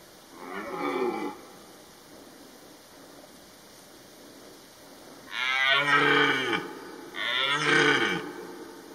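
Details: A red deer stag in September 2022, during the rut, gives deep, hoarse roars, one faint and two loud, that slide downward in pitch.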